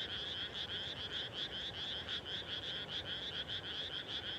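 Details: Frogs calling at dusk just after rice planting in the countryside, a dense chorus of rapid, overlapping croaking pulses, high-pitched and continuous, with many callers layered together and no other clear sounds.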